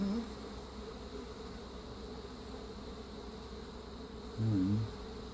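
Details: Constant low buzzing drone of many honey bees around a defensive feral-swarm hive being requeened with an Italian queen, with a brief louder burst of sound near the end.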